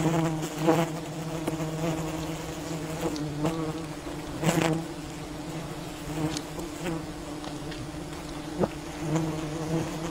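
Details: Swarming wild bees at a colony raided by honey hunters, droning in a continuous low hum with layered harmonics, broken by sharp taps and brief louder surges of buzzing.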